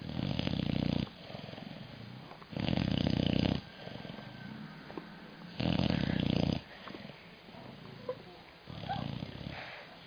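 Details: Loud rumbling snores from Sally the puppy, compared to a Harley engine: deep, rough bursts about one second long recurring every three seconds or so, with quieter breathing and faint clicks between them.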